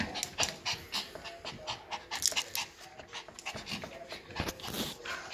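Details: Two young Yorkshire Terrier puppies, offspring of a silkie-coated Yorkie, breathing in quick, soft, breathy panting bursts with snuffling puffs, irregular and close, in a quiet indoor setting.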